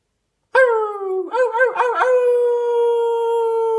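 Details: Dog giving a loud, sustained howl that starts abruptly, wavers through a few quick warbling pulses, then holds a long steady tone to the end; no other sounds.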